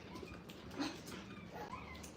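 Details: Five-week-old Brittany puppies from a litter of nine, in a playpen for the first time at a kennel, their mother a small three-year-old Brittany. Thin, high whimpers and squeaks rise and fall over steady indoor room noise.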